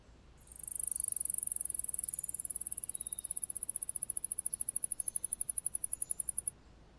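A male Alston's singing mouse gives a long, very high-pitched trill of rapid notes to court a female.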